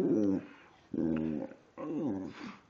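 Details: Pet dog Precious, a talkative female, makes three separate short harmonic moaning calls spaced under a second apart, each falling slightly in pitch, in a quiet indoor room.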